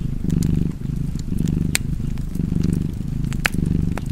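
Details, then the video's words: Deep, continuous purring from a cat, swelling and easing in roughly one-second breathing cycles, with fireplace crackles snapping now and then over the rumble. "Purring Cat and Fireplace 4K / Wallpaper Tv Art Çerçeve / Cozy Purring Cat ASMR / Kedi Mırlaması"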